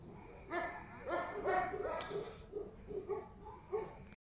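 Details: Tibetan Mastiff barks: several ringing, harmonic barks at first, then shorter, softer yaps repeating about twice a second before cutting off.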